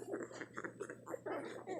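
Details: Newborn puppies nursing give rapid soft squeaks and grunts in a dense chatter, over a constant low hum.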